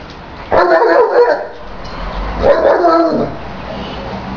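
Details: Great Dane and American Staffordshire terrier playing together: two rough, drawn-out growling barks, each about a second long, one after the other, then quiet.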